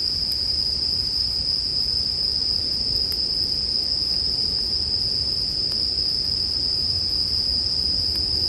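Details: Bell crickets sing in a steady high-pitched ring that never breaks, layered with a gently crackling campfire as relaxing sleep music, with only occasional faint pops.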